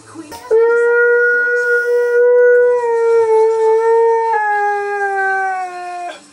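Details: Keyush, a Siberian Husky, sings in a home while his cousin Ivy listens: one sustained, clear howl of about six seconds, nearly level in pitch, with a small step down near the end before stopping abruptly.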